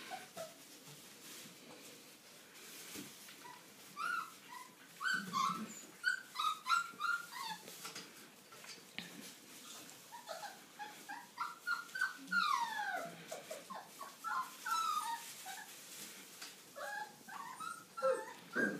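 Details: Old English Sheepdog puppies from an A-litter, aged five weeks, give a steady stream of short, high squeaks and whimpers, about three a second and irregular. Several overlapping voices mix thin piping notes with occasional sliding whines.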